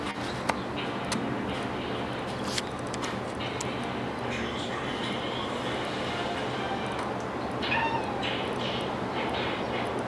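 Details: Niko, a house cat, chirps at birds when bored, making short clipped chirps and chattering trills in scattered bursts over a steady background hiss with faint clicks.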